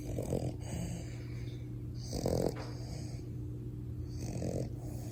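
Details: French Bulldog puppy asleep and snoring loud: three gravelly snorts spaced roughly two seconds apart, a constant low hum underneath.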